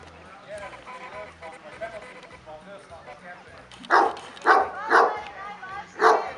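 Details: Kuvasz barks recorded at the fifth club show held in Kishegyes (Mali Iđoš) in 2017: quiet voices at first, then four forceful, evenly spaced barks in the last two and a half seconds.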